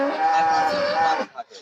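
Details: Dairy cow on a farm lowing once, a loud, steady, harmonic moo lasting just over a second before cutting off, followed by faint background noise.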